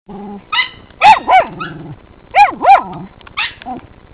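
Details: Working terriers at a sett holding one of three raccoons: loud, excited barks with wavering, yelping pitch bends, interspersed with rough growly tones, several bursts within four seconds.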